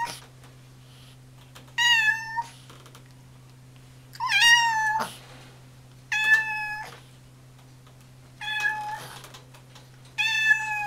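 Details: Orange tabby house cat meowing indoors: five clear, tonal meows, each about half a second long and evenly spaced about two seconds apart, over a steady low electrical hum.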